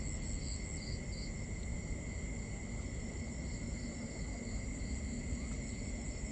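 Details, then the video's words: Crickets at night in a binaural nighttime ambience: several steady, unbroken high trilling tones layered together, with short pulsed chirps in a higher band coming in brief bursts, over a soft low rumble. "Cricket Conversations | Binaural Nighttime Ambience"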